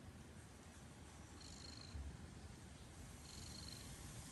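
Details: Pet cat purring steadily, a deep vibrating drone throughout, with two faint airy high whooshes near the middle and end.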